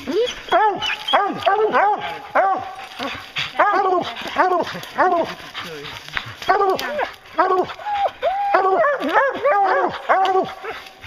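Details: Bear hunting hounds in full cry, close, rapid harmonic bays and yelps from multiple dogs, some drawn-out bawls mixed with choppy barks, barely pausing throughout.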